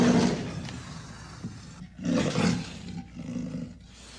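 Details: Amur leopard: a loud rasping burst at the start, then a second gravelly roar after a quieter breathy interval, ending in fainter rough exhalations.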